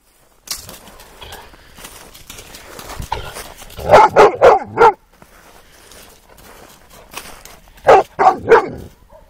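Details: Cane Corso puppy giving a rapid run of four sharp, mid-pitched barks, a pause, then another quick burst of three barks, with faint background noise in between.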